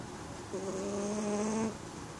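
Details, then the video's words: Sleeping Chihuahua dressed in onesie pyjamas snores one drawn-out nasal whistling tone lasting about a second, steady in pitch with a stacked buzzy edge, over a faint constant background hiss. "Snoring Chihuahua"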